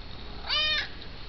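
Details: Pet cat Jupiter, a male, meows at his owner, who meows back: one clear, bright meow of about a third of a second, even and slightly arched, against low background hiss inside a room.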